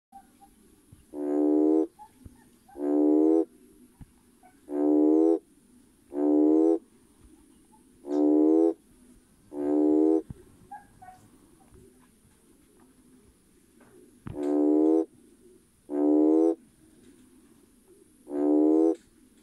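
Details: A male red toad (Schismaderma carens) gives nasal, buzzy mating calls to attract potential mates, each under a second, repeated every couple of seconds.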